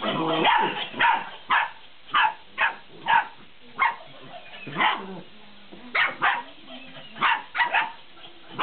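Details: 50-day-old Belgian Malinois puppies playing with a laughing cat toy, giving a rapid series of about a dozen sharp, high yapping barks in uneven bursts, some overlapping, with quieter squeaky noises between them.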